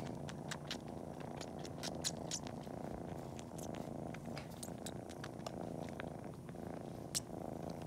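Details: Continuous low purr from Cori, a kitten pretending to nurse before napping while kneading its paws, with loud suckling on toes adding scattered crisp clicking smacks over the steady rumble.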